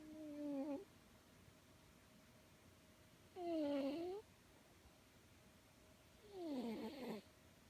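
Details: Tortoiseshell cat sound asleep in REM sleep, twitching while it snores: three squeaky, whistle-like snores roughly every three seconds, each dipping then rising in pitch, in a quiet room.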